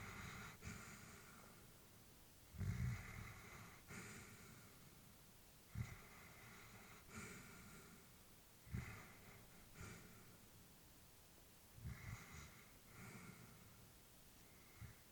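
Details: An old pet Labrador bitch asleep at home, snoring and snorting in a steady rhythm, each breath a short nasal rasp recurring every few seconds across the stretch, some stronger huffs, background otherwise still.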